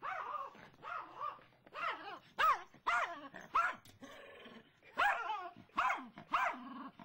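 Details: Squirrel in the front yard sets off Brittany, a female pet dog: softer whiny, moaning barks at first, building into louder sharp barks, with a brief quieter grumbling stretch between.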